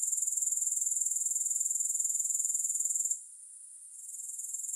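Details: Shrill, rapidly pulsed insect trill from grasshoppers, steady and high-pitched for about three seconds, then suddenly quieter for a moment before the buzzing pulses build back up.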